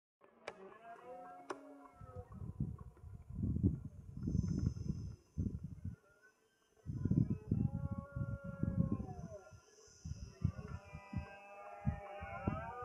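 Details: Red deer roaring during the rut in Sierra de Andújar, Spain, on 10 September 2024 at five in the afternoon; deep, hoarse roars in long bursts, with pauses between bouts and faint higher calls in the background.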